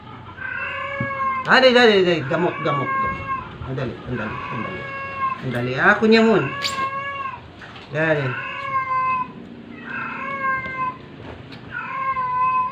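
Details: Struggling stray cat, sick and force-fed, gives a series of long, wavering meows and caterwauls, several overlapping with a person's voice, the cries spaced irregularly over the stretch.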